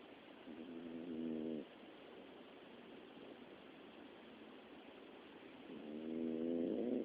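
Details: Snoring Miniature Dachshund, said to snore often by day and night: a buzzy, harmonic snore of over a second at the start, then a long quiet pause, then a second snore rising in loudness at the end.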